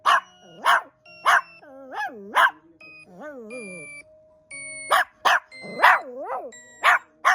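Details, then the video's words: Dog barking back at a strange sound: short sharp barks repeated about twice a second, answered by a wavering, rising-and-falling whistled electronic tone between them. "이상한 소리에 잔소리하는 강아지"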